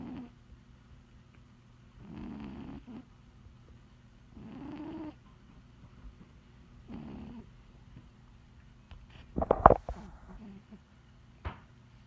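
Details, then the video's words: Heavy 20 lb cat snoring while napping indoors: soft, low rasping snores about every two and a half seconds, each under a second long, then a brief louder clatter near the end. "Snoring Cat"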